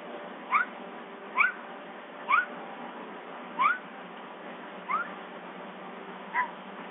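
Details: At Big Cat Rescue, Summer the bobcat calls while waiting for breakfast, giving six brief upswept chirps, each sliding up quickly with a fainter higher echo, spaced roughly a second apart against low steady hiss.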